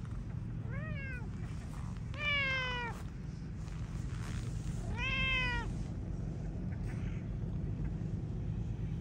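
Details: Stray cats outdoors during a heated exchange among feline companions; three loud, drawn-out meows with rich harmonics, each falling in pitch, spaced about two seconds apart over steady low traffic rumble.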